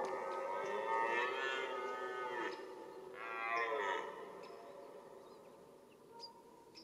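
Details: During the red deer rut, a stag lets out two hoarse, moaning roars rich in stacked harmonics, each about a second and a half, then the air falls quiet with faint distant sounds.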